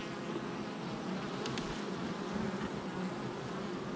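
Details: Honey bees at a hive entrance on July 22nd, 2024: a dense, steady low hum from many wings, with faint higher droning bands wavering through it and no other clear sounds.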